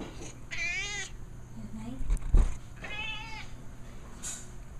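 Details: A 14-year-old female pet cat begs for food or attention with two strong, wavering meows about two seconds apart and a brief thump between them, against a steady low hum.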